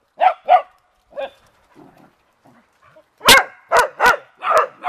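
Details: Pet beagle and dachshund mix barking at leaves while playing around water; a few soft yips, then a run of loud, sharp barks about every half second near the end.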